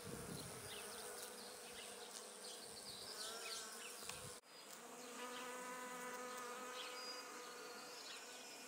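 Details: Bee foraging from flower to flower on Judas tree blossoms, giving a steady buzzing hum with harmonic bands that fades briefly midway, over a background of many small high chirping birds.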